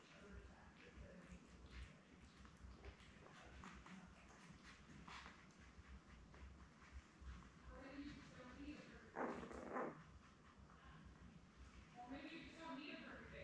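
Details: Labrador Retriever puppies, a litter of seven born May 24, 2021, with their mother Belle on an indoor puppy cam; short squeaky whines and soft whimpers come in bursts, strongest near the end, over a steady low hum.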